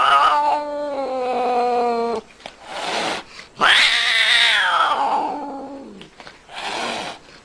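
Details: Cat from a funny compilation lets out a long, wavering, low meow, then a loud rising-and-falling wail over rough background noise and rustling.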